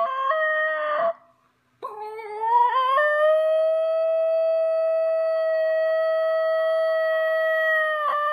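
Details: Playful female Basenji Ginger Snap giving a drawn-out yodel-like howl. A short wavering note, a pause, then a rising wobble that levels into a long, even, ringing tone lasting several seconds.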